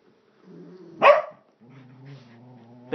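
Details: A dog making a woo-like howl: a low, thin, sustained tone broken by one sharp loud burst, then a steady drawn-out note with faint overtones, ending in another abrupt onset.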